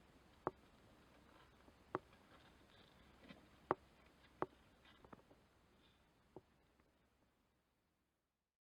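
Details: Two-day-old Netherland Dwarf rabbit kit, born 8 March 2021 outside the nest box and chilled near death, in poor health indoors, giving odd coughs or sneezes: about six sharp, brief bursts at irregular one-to-two-second gaps over quiet room hiss.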